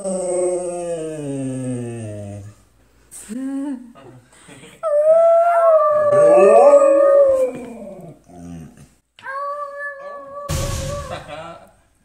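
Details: Husky howling along with people in a howl-off indoors: long drawn tones that slide down, then several overlapping voices rise and fall in pitch, ending with steady held notes and a short burst of noise.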